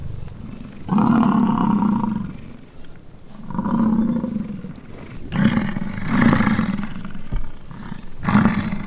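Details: Fighting American bison in rutting season at Peace River Ranch, Fort St. John, British Columbia, Canada: a series of four deep, rasping roared bellows, each about a second long, spaced roughly two seconds apart.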